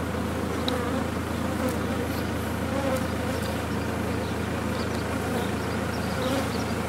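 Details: Dense, continuous buzzing of a big honey bee colony inside a condemned chimney during its removal, a thick even drone with no pauses.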